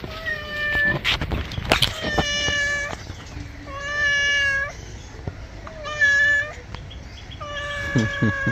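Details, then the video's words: Domestic cat angry while taking a bath, meowing repeatedly in long, even, harmonic wails roughly every two seconds, with splashes and handling noises between calls and brief background speech. "Today our cat looks angry while taking a bath"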